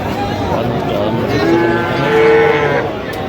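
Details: Young Sahiwal bull and heifer calves at a cattle market in Madaripur, Bangladesh, on 13 January 2026; a mid-pitched, drawn-out moo swells and then fades over busy crowd chatter and bargaining voices.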